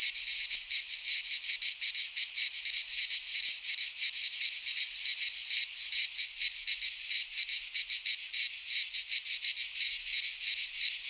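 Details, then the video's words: Cicadas of the Greek fauna in a midsummer pine forest produce a relentless high buzzing chorus, its rapid pulses shimmering unevenly over an otherwise silent background. "Cicadas singing in midsummer"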